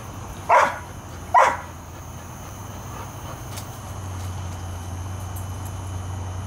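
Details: Airedale Terriers Bailey and Lexie, on guard keeping the yard free of varmints, day or night: two sharp barks about a second apart, then a low steady rumble and faint background noise.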